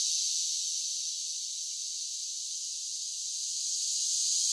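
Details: Softer summer cicada song: a high, hissing buzz that dips slightly through the middle and rises again toward the end, otherwise uninterrupted and alone.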